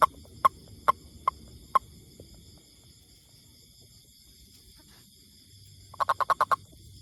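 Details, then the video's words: A toad gives five evenly spaced sharp clicks over two seconds, falls silent for several seconds, then bursts into a quick rattle of about six clicks; a faint steady high-pitched hum runs underneath. "Amazing Sound Toad"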